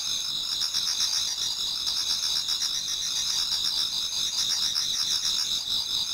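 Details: Autumn insects in a Japanese garden sing toward dawn, a steady chorus of shrill pulsed trills layered in several high bands, with a faint rhythmic beat about four times a second.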